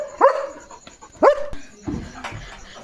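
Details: German Shepherd on evening guard duty at a farm, barking fiercely and jumping to protect his area: two sharp, loud barks about a second apart, then a softer whining yelp.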